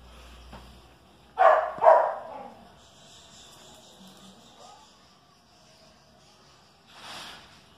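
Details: A Chihuahua and a dachshund: two strong, sharp barks close together, then low rustling and faint noises, and a soft sound near the end.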